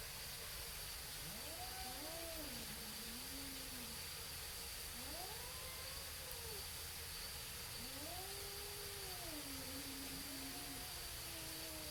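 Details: Two cats facing off before fighting yowl in arched, rising-then-falling wails, about four long calls separated by short pauses, against steady hissing background noise.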